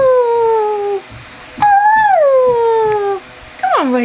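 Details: Greyhound Chevelle roos in long descending tones, one note sliding down for about a second, a second rising slightly then falling, and a final quick downward swoop.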